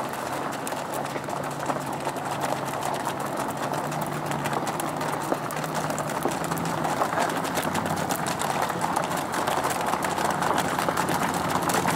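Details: Steady broadband rushing noise from an outdoor trail, with a faint low hum and no clear animal calls.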